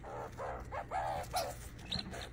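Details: Baby female skunk vocalizing while interacting with a human at feeding time: a run of short, tonal, mid-pitched chirps and squeaks in quick succession, with soft handling noise and a low steady hum beneath.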